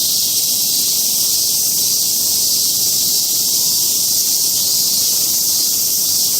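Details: Cicadas singing on Mount Atago, Japan: a dense, unbroken shrill buzz that holds steady without pauses, with a thin high whine above it and no other clear sounds.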